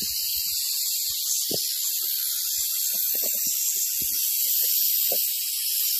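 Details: Western diamondback rattlesnake giving a steady, fast, dry buzzing rattle that holds at an even loudness throughout, with a few faint low thumps beneath it.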